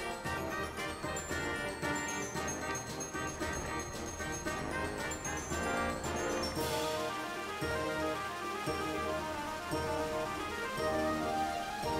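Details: Continuous orchestral background music with bright melodic tones and steady rhythm, no animal voices heard.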